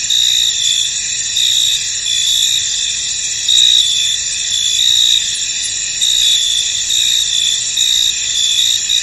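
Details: A field wrapped in mist holds a steady chorus of crickets, piercing high trills stacked in bands, pulsing softly and continuously throughout without other noticeable sounds.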